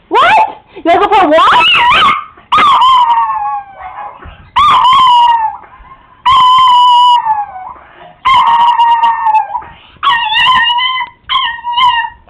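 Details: House Chihuahua howling when excited: about eight wavering, sing-song howls in a row, each a second or so, over occasional human voices in a small room.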